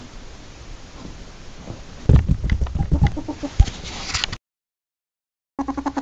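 A ferret gives rapid, soft clucking chatter in bursts, ending with a quick rhythmic series of clucks.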